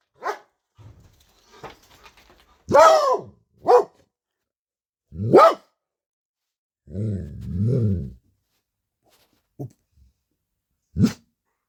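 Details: Belgian Malinois barking loudly in a garden, day and night; scattered sharp barks, a few louder harsh ones, plus a lower rumbling growl-like stretch near the middle, then fainter isolated barks.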